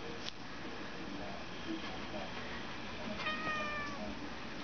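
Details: Tiam, a female cat perched on a queen size mattress standing on its side, refusing to come down and disliking a sniffing dog noise off screen; a short, clear harmonic meow rises near the end over quiet room noise and faint voices.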